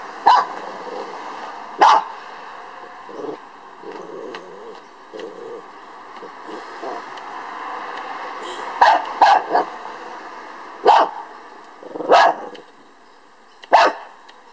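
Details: Lhasa Apso dog barking at a beetle: sharp single barks in spaced bursts, some doubled, over a steady background hum, with quieter soft sounds in between.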